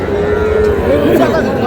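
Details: Cattle at a Dhaka livestock market in Bangladesh, where small bulls and heifer calves are being bought: a sustained, steady moaning call of about a second, slightly wavering at its end, over a din of market chatter and voices.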